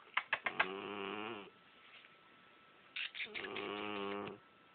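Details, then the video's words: Female cat Portia snoring while asleep: two long buzzy snores with layered harmonics, each opened by a quick run of sharp clicking taps, separated by a second and a half of near quiet. "Snoring Cat"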